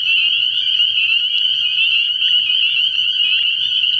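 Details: Many spring peepers in full chorus at a frog pond on an early spring night, their high, sharp peeps overlapping into a constant ringing trill without any break.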